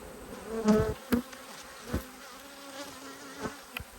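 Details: Angry honey bees drone low and steady while their hive is opened for inspection, with sharp knocks from handling the hive.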